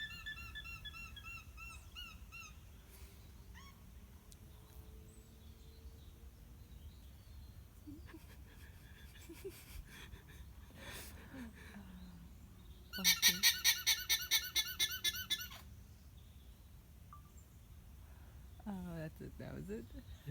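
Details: An annoyed farm alpaca in Monmouthshire, South Wales gives a loud, shrill, rapidly pulsed braying call over faint background chirps.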